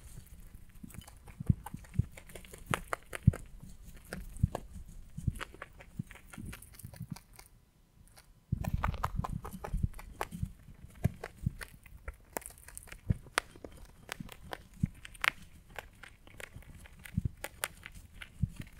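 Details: Close-miked rabbit chewing hay in ASMR: continuous crunching and tearing of dry stalks with quick clicky bites. It breaks off for about a second near the middle, then resumes as steady rhythmic munching.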